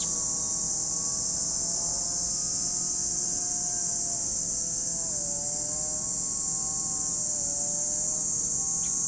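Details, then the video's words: At Lake Kamo in Sado City, Niigata, Japan, cicadas keep up a constant high, hissing drone without pause, while a quiet low mechanical tone slowly wavers and dips in the background. "Lake Kamo in Sado City, Niigata Prefecture, Japan, where you can hear the voice of cicadas."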